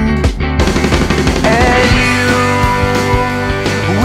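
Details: Loud rock music with distorted guitar, steady drums and bass, and a brief sliding guitar figure; no animal sounds are heard.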